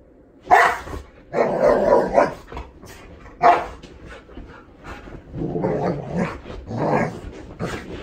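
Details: Golden Retriever Hatch, a seven-year-old female, protests while being shampooed with dog soap. Short, gruff woofs and huffing barks burst out irregularly, about half a dozen over several seconds, some sharp, others muffled and grumbling.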